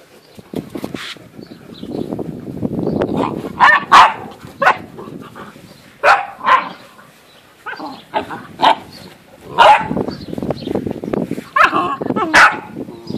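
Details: An F litter of Great Dane puppies at eight and a half weeks, dated 4 June 2014. A soft, rough rustle gives way to scattered short yaps and squeals arriving in separate bursts, with quiet gaps between.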